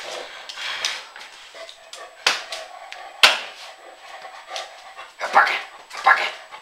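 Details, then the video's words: A dog gives short, sharp barks and yips at irregular intervals, with a couple of louder bursts near the end over a steady high background hum. "funny dog"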